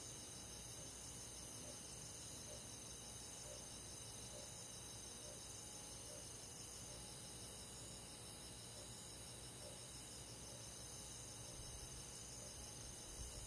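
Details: Summer-night crickets in rural woodland: a high, evenly spaced chirp repeating about every second, layered over a constant hiss of many other insects.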